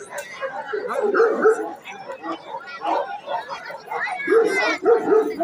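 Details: Bully Afghan Kochi cross dogs, described as champion dogs, give short barks in two bursts, early and near the end, while several people talk loudly over and between them.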